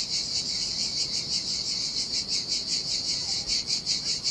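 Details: On a deserted Sardinian beach in summer heat, cicadas produce a piercing, high-pitched buzz that pulses steadily at a fast, even beat, with only a quiet background of sea.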